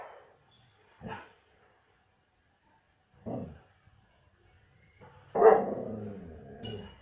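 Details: German Shepherd dog barking at a distance: two short, sharp woofs about two seconds apart, then a louder drawn-out bark with a rough trailing tail.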